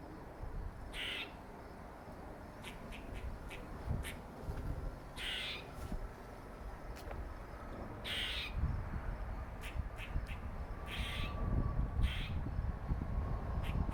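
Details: Squirrel known as Dirty Face, a male with a dark facial mark, makes a long irregular run of brief scratchy calls, some singly, some in quick clusters, against a constant low hum and a faint thin tone.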